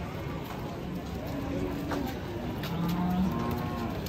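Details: Cattle lowing in a low, drawn-out moo that holds steady and swells slightly toward the end, with background noise throughout.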